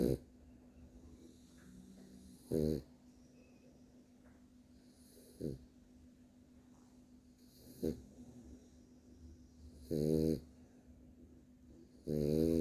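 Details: A sleeping French Bulldog snores in loud, rasping bursts every two to three seconds, carrying on after being told he is snoring.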